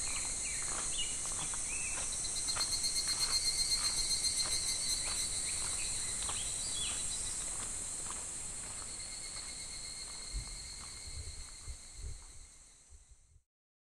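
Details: Midsummer cicada chorus in July at a shallow, gently flowing clear river: a dense, unbroken high-pitched buzzing drone with soft regular ticking sounds beneath, fading and thinning out toward the end.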